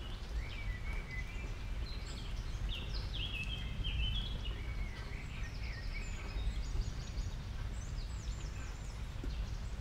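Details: Small family of guinea pigs, happy while eating water convolvulus greens; many faint high whistled squeaks, short and stepped, overlapping throughout over a steady low rumble of background noise.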